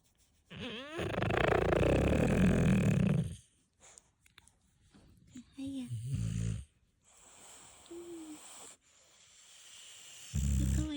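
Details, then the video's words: Sleeping English bulldog snoring indoors: one loud, rough, rasping snore lasts about three seconds. Quieter snuffles and brief voice-like sounds follow, and a new loud snore begins at the very end. "ブルドッグのいびき💤＆ 寝息♡"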